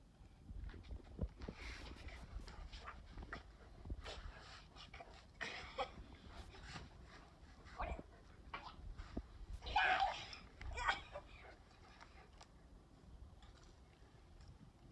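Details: Play-fight of a 7-year-old male Bernese Mountain Dog, Daikichi, angered by his pestering younger sister on a hot afternoon in April 2020; low scuffling throughout with a sharp, rasping snarl around the tenth second.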